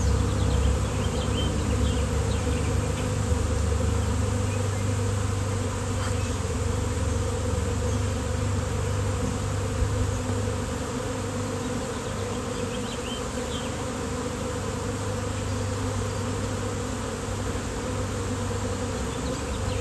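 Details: Sudden swarm of honeybees on a fine-weather day, later handled by a beekeeper. A thick, unbroken low hum of many wingbeats fills the whole stretch, with a few faint high chirps in the background.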